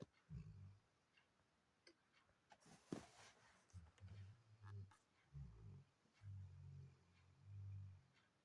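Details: Labrador Retriever snoring indoors: low, rough, rumbling snores that come in repeated breath-length bursts, about five over eight seconds, with a few faint clicks between them.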